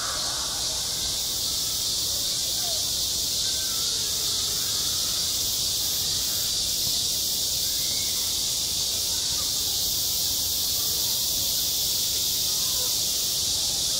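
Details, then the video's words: Midsummer cicada chorus at a school playground, a continuous shrill hiss-like buzz that never pauses, with soft indistinct voices and faint outdoor murmur far below. "한 여름 운동장에서 매미가 울고 있다 - 여름의 소리, 학교 종소리, 매미 울음소리"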